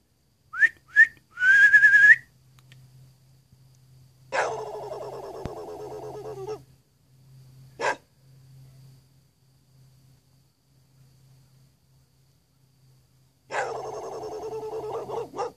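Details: After a few rising human whistles, a neighbour's dog that doesn't bark normally gives rapid-fire, yodel-like bursts of barking.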